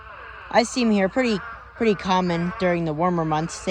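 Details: Spadefoot toads in a huge mating swarm, a pond holding thousands of toads; overlapping nasal, bleating calls, each about half a second to a second long, wavering slightly in pitch and following one another almost without pause.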